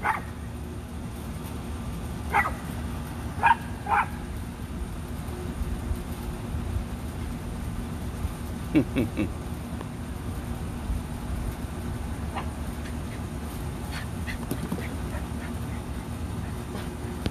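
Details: Rat Terriers Bandit and Jewel at play in the back yard give scattered short barks and yips, a burst near the start and more later, with a man's voice nearby and steady low rumble.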